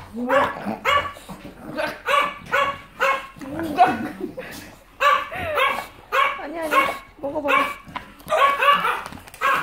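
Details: English bulldog fussing during nail clipping indoors, recorded January 2018: a run of short, harmonic, whining yelps and barks, each burst rising and falling, repeating roughly every half to three-quarters of a second, with a person talking over them.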